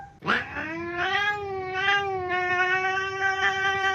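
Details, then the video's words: Cat making strange noises indoors: one long drawn-out wailing cry with rich harmonics, rising sharply at the start then held steady with slight wavering pulses for about four seconds. "Cat makes strange noises"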